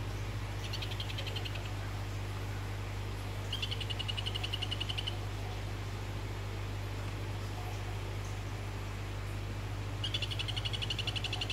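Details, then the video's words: Orange Phyllobates vittatus calling to a female: three rapid pulsed trills, each lasting about a second and a half, with high, buzzy clicking notes repeated several times per second. A steady low mechanical hum runs underneath throughout. "Phyllobates vittatus orange is calling female"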